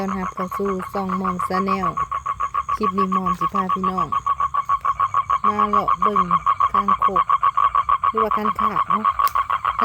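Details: A male toad calls out to draw in females for mating, giving a fast, even series of buzzy pulses, roughly three to four per second, while a person talks over it at intervals.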